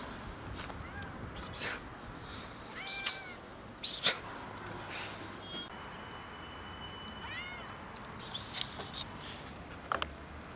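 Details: Female cat meowing after being saved from a male cat trying to mate with her; several short, arched meows at about three seconds and again near seven and a half seconds, amid scattered clicks, rustling and a faint voice.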